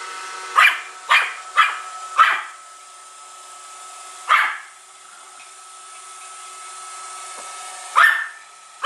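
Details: One-year-old Pomeranian at home, hostile toward a Roomba robot vacuum: a quick run of four sharp barks, then single barks after long gaps, with the vacuum's steady whine and hum throughout.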